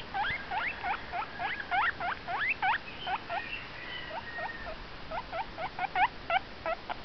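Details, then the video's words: Pet guinea pig vocalising: fast bursts of short upward-sweeping squeaks, about three a second, a brief pause with a faint held tone near four seconds, then the squeak series resumes and spaces out. "my guinea pig making noise"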